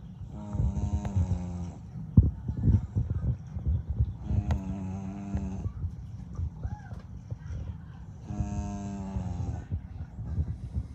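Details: English Bulldog. A young English Bulldog snores heavily, each breath a drawn-out, rumbling, buzzy rasp lasting over a second. The snores come roughly every four seconds, with quieter wheezy breathing and faint room noise between them.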